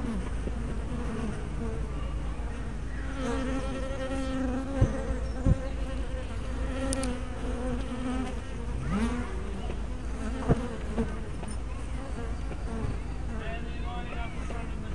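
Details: Honey bees at hive entrances, recorded 24 May 2012 on an 808-style spy cam with a 180-degree fisheye lens: overlapping, wavering buzzes from many bees, sliding up and down in pitch, over a steady low rumble with a few sharp clicks.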